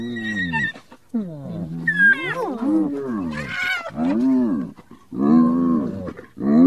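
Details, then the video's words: Hyena uttering low, drawn-out groaning calls that rise and fall in pitch, with a brief higher squeal in the middle and deep moaning notes at the end. "Odgłosy hieny, wycie hieny, hiena na wideo, dźwięki hieny"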